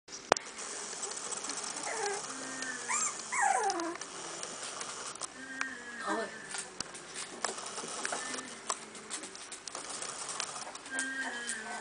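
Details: Two-week-old puppies from a litter, making high whimpering squeals that bend up and down, clustered around two to four seconds with another near six seconds, then quieter fainter whines over soft room noise.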